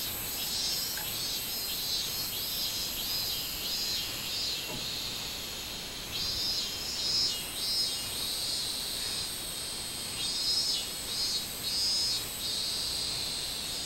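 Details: Minmin cicada song recorded 24 July 2016, summer: high, grating pulses swelling in the second half, set against a continuous thin ringing insect chorus.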